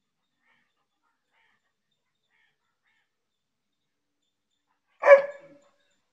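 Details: Labrador Retriever named Tiger giving a single short bark near the end after about five seconds of silence, a brief harmonic burst that fades quickly; no other sounds.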